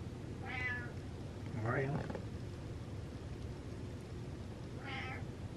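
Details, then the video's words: Gassy pet cat Butters gives three brief meows spread over about five seconds, the middle one sliding upward, with a quiet human voice nearby and a low background hum. "Squeezing Out The Farts Meows"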